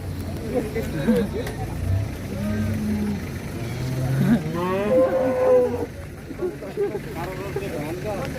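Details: Qurban cattle arriving and being unloaded from a truck, some of them raging; drawn-out lowing moos rise and fall amid crowd chatter and engine noise.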